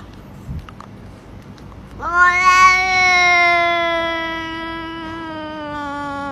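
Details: Domestic cat giving one long, steady meow that starts abruptly, holds a clear, slightly falling tone for over four seconds, and stays loud throughout, with faint background noise before it.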